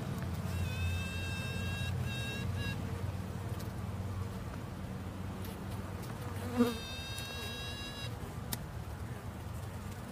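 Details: Female honey bee humming: a dense low buzz throughout, with two short tonal bursts rich in overtones, one near the start and one after the middle, plus a soft thump.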